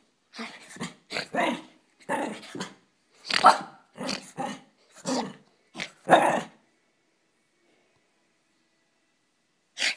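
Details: A female pet dog indoors, running playfully around the upstairs bedrooms to burn off excess energy, gives rough, short growling bursts, about nine in quick succession over six seconds, then silence before one last burst.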